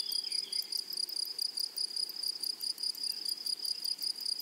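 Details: A chorus of grasshoppers in a flowering prairie meadow, with a constant piercing high trill and quick, uneven buzzy pulses about once per second.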